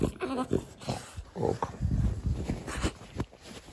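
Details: Cute French bulldog asking to get under the blanket: loud, closely spaced grunting whines and snorty vocal bursts, some with a brief tonal rise, filling the whole stretch indoors.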